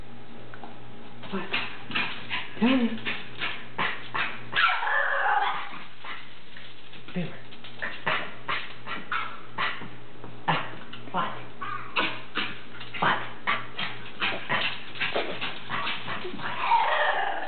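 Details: Pet dog Beamer making unusual singing-like sounds; a long run of short yelping, moaning bursts, some drawn out and wavering, repeated about every half second to second, with the owner talking and laughing.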